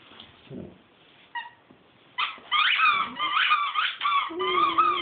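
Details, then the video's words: Pet dog singing indoors, starting after a quiet stretch with a short whine, then a run of high wavering whimpering howls with sliding pitch, ending on a steadier drawn-out note. "Chooch singing"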